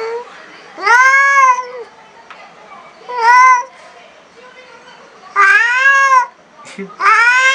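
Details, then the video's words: Extremely angry black cat on its first meeting with a new cat: four loud, arching yowls, each rising then dropping, spaced roughly two seconds apart, quiet between cries. "Cat angry sound"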